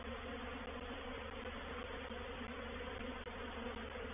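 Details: A honey bee swarm taking over a swarm trap at Painted Peacock Manor on 04/07/21. A dense, even buzz of many bees runs without pause, with a few faint ticks over the drone.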